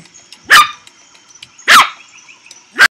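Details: Young Teacup Poodle yapping three times, each a short piercing bark roughly a second apart, the last cut off at the end; otherwise quiet apart from a faint high hum.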